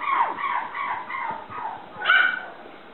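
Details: A 57-day-old black female toy poodle puppy at a Shiga, Japan breeder, recorded 27 January, gives a few short falling whimpers, then one higher, sharper squeal near the end.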